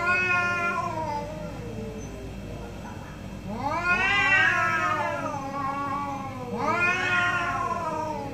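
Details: Two orange domestic cats in a morning exchange: long harmonic meows rising then falling, one opening the clip and two more loud ones around four and seven seconds, over a low steady background hum.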